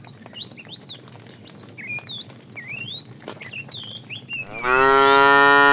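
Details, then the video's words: Fat tame cow in a herd being driven in the afternoon, mooing while calling the female: one loud, deep, harmonic-rich moo rising in at the end, after several seconds of bright twittering birdsong. "The funny sound of a fat cow calling the female"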